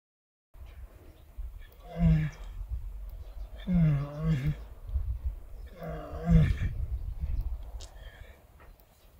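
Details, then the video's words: A horse gives three deep, throaty groans, each a low, drawn-out moan lasting about a second; groans are commonly linked with relaxation and contentment, such as when a horse is comfortable or enjoying a good scratch. "groans are commonly associated with relaxation and contentment"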